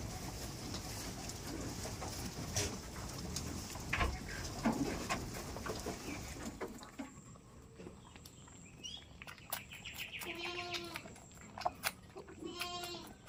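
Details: Goats on a village goat farm, including one described as the most expensive goat in the village; after a noisy, rumbling first half, a few short harmonic bleats ring out near the end over quieter background.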